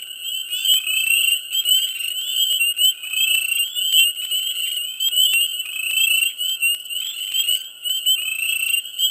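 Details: Dense chorus of frogs in a swamp in mid spring: countless high, shrill trilling calls overlap into a continuous ringing wall, with sharp clicks and chirps scattered throughout and no lulls.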